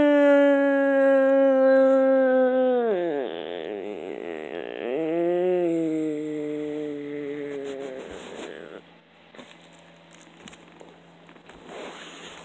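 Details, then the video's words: Frog screaming: a long, steady, strained wail that sags downward, returns in a shorter burst, then trails off into fainter rough sounds with clicks and handling noise. "Screaming frog"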